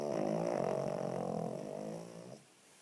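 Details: Sleeping with her eyes open, a slightly overweight 9 kg female Cavalier King Charles Spaniel gives one long rasping snore with a rattling, buzzy tone lasting over two seconds before it cuts off into quiet room noise.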